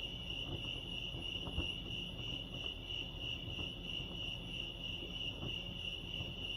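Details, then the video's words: Lake Arrowhead crickets in California giving a sustained, evenly pulsed high trill that never pauses, backed by quiet low-frequency rumble and a few faint clicks. "Serenity sounds crickets chirping lake arrowhead"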